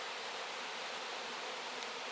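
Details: Crowd of honey bees at work cleaning wax, flying heavy with honey; a continuous, airy, hissing hum of many wingbeats, steady in loudness from start to finish.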